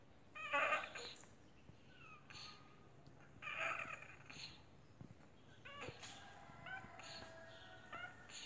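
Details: Indoors, a sick-looking domestic cat producing strange noises gives several short harmonic meows spaced a second or two apart, some brief and chirp-like, others longer and wavering, over a quiet, hissy background.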